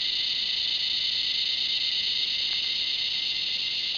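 A cicada gives a continuous, shrill, high-pitched buzz that holds steady without a break.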